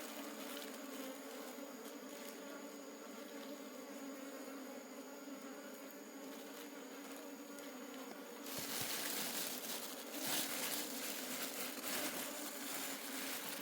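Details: Wild honey bee colony in a forest during a honey harvest: a steady low buzz with layered overtones hums throughout, then a burst of broadband rustling and crackling noise takes over for the last five seconds.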